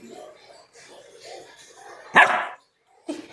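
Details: Female pet Labrador Retriever at bath time, called by a woman speaking Tamil to come out and bathe. Soft talking leads into one loud sharp bark, followed by a shorter muffled sound.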